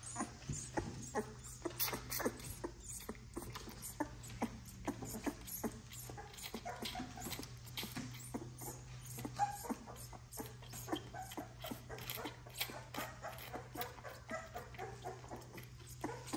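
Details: Ten XL American Bully puppies being bottle fed indoors to relieve their mother. Quick wet sucking clicks run continuously, joined by brief whimpers, over a steady low electrical hum.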